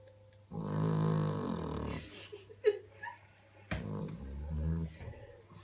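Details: A female French Bulldog snores very loudly, with deep, rattling breaths drawn in and pushed out.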